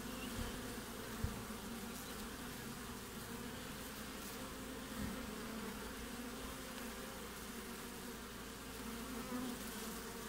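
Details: Honey bees flying at the front of a hive in the middle of the Australian winter, producing an even, continuous buzz with occasional soft thumps and brief louder fly-bys.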